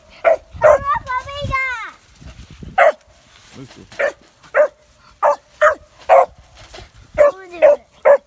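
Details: Kemmer Cur puppy, three and a half months old, facing its first caged squirrel: a dozen short, sharp yipping barks in quick irregular bursts, with a man talking over them in the middle.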